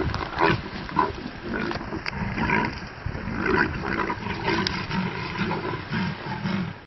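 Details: Two leopards fighting: harsh, rasping snarls and growls in repeated rough bursts, some low and throaty, others breaking into higher grating cries, continuing with little pause through the encounter.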